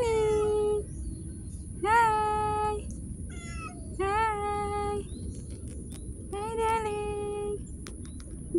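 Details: Street cat meowing: four clear, drawn-out meows, each lasting under a second and spaced about two seconds apart, with a faint steady high whine behind them.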